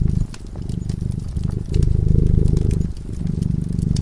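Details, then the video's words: Cat dozing peacefully in front of a crackling fireplace, purring steadily: a deep, low rumble that swells and eases in long breath phases of about a second each, with faint snapping crackles from the fire above it. "Purring cat"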